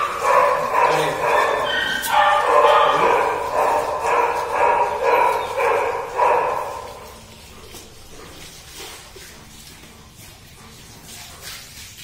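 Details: Dark Golden Retriever dogs, male and female, from India, giving a run of sharp, yappy barks about two per second for roughly seven seconds, fairly even in rhythm, then falling quiet with faint background noise.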